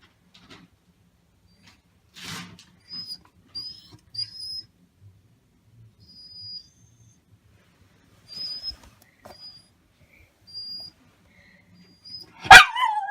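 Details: Male black Shiba Inu named Maro waits for food, giving thin, very high squeaky whines in short bursts, several clustered around three to five seconds and more near nine to eleven, ending with a sharp loud clatter in a quiet room.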